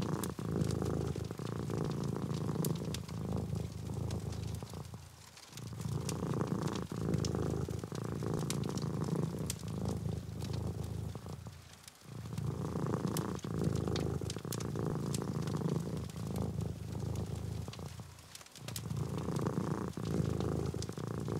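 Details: Domestic cat, kept as a writing companion, purring indoors during a writing session: a steady low rumbling purr in long breath cycles, briefly dipping near 5, 12 and 18 seconds, over keyboard typing clicks and crackling fire.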